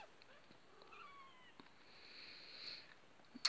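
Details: Two-week-old Maine Coon kittens, a litter indoors: a pair of thin, high falling mews near the start, then a faint drawn-out squeal, with clicks and a sharp knock at the end.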